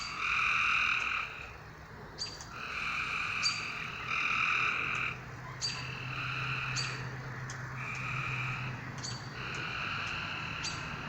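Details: Frogs at night give repeated nasal, buzzing calls lasting one to two seconds, separated by brief pauses. Sharp clicks mark the start of several calls, and a soft low hum runs throughout.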